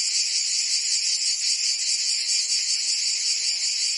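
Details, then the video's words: Cicadas in Provence, France, in summer, producing a constant shrill buzzing chorus, less clearly pulsed, a smooth high hiss-like drone throughout. "Cicadas singing in France (Provence)"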